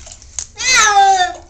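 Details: Male pet cat in a bath, meowing to get out: one long drawn-out, falling meow with a rich tone, while its owner talks to it before and after.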